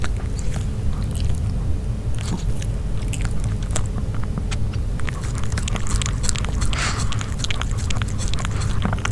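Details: Pet dog Nino chewing grilled pork indoors, close recording with no speech: dense crunching bites and smacking clicks that grow busier toward the end, with a constant deep background rumble.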